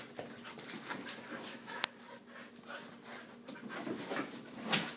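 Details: Ava and Bella, two Siberian Huskies, in their morning routine: breathy panting and high, short whimpers, broken by sharp clicks or knocks, in uneven bursts across five seconds.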